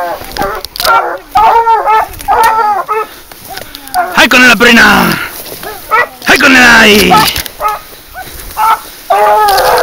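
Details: Hunting dog on a wild boar hunt, giving sliding, yelping bays that fall in pitch, mixed with men's shouts and calls urging it on.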